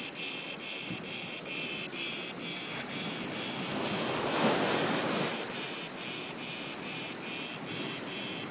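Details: Cicada near a beach, hidden from view, sings a shrill, grating buzz broken into regular pulses a little over twice a second, over a soft background rush.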